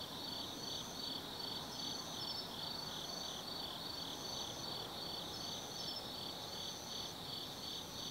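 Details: Night chorus of autumn forest insects at Tsukimi no Mori overlooking the Nobi Plain, Gifu, Japan: continuous high-pitched trills layered with rhythmic, fast-repeating bright pulses, soft background hum below.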